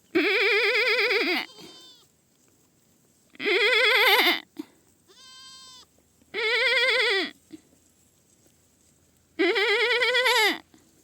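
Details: Young goat bleating loudly four times, each call drawn out and trembling, with a softer, thinner higher cry heard between the second and third bleats.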